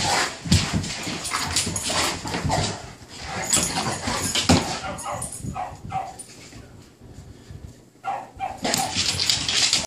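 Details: Play session between a bullmastiff and a new Dogue de Bordeaux: dense rough growls and short gruff woofs crowd the first half, a quieter lull follows, then sharp noisy bursts return at the end.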